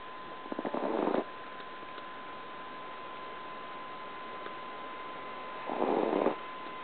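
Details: Snoring of T.T., a tiny 2 lb Chihuahua asleep indoors; two rasping snore bursts about five seconds apart, each under a second long, over a steady background hum.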